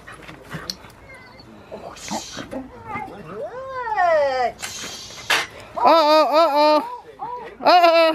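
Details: Foofy, a female Rottweiler, having fun starting protection training at Victoria Rottweiler Club on August 2, 2020; high, arching whines and yelps in short harmonic bursts, rising then falling, grow louder toward the end, mixed with people talking nearby.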